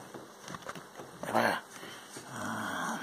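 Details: Playful Maltese Shih Tzu mid tug-of-war game, giving a short, strained growling whine about halfway through, with quieter grunting snorts before and a soft rumbling after, over a steady indoor hum.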